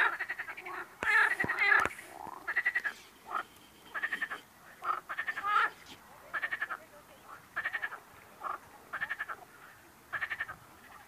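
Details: Frogs giving a steady series of short, grating, pulsed croaks spaced about half a second apart, with a few loud sharp knocks in the first two seconds.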